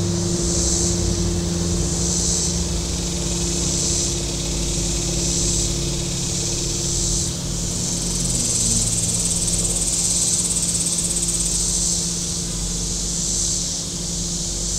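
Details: Shoreline cicadas at Table Rock Lake, southern Missouri, in warm weather, their shrill buzzing pulsing in regular surges above steady low motorboat engine tones.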